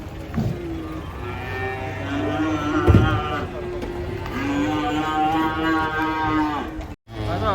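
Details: Cows coming down off a truck, lowing in long, steady, deep moos, two main calls separated by a short pause, with a thump and human voices nearby.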